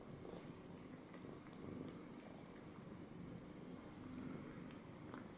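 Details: Pet cat settled on a person's lap, giving a continuous low purr that swells and fades gently, with light fabric rustling and a thin steady background whine.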